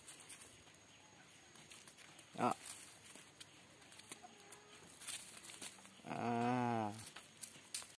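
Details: Orphaned white goat kid named Putih, whose mother died giving birth, now pampered and attached to its owner. It gives one loud, quavering bleat lasting about a second near the end, after a short sharp sound and a quiet rural background.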